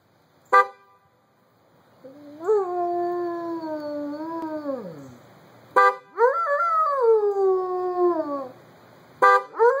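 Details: Buddy the dog howls in reply to a car horn: two long, wavering howls that rise sharply, hold, then slide downward, each set off after short, sharp honks of the horn, which sound three times.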